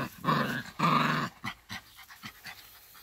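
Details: In a garden, Labrador Retriever mother Lilly guides her 2020 E-litter puppies; two loud, harsh growling bursts come first, followed by several short, quieter gruff huffs.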